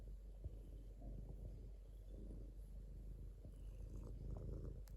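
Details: Continuous purring from a domestic cat, a deep even rumble with gentle rhythmic pulsing and a few light rustling noises.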